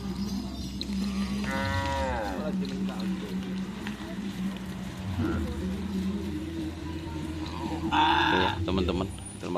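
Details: Cattle at a karapan sapi bull race training session at Asemanis field, Pamekasan, with the Sonar Muda team. A single drawn-out harmonic moo of about a second sounds over a steady engine-like drone and music, with voices and a brief harsh burst later.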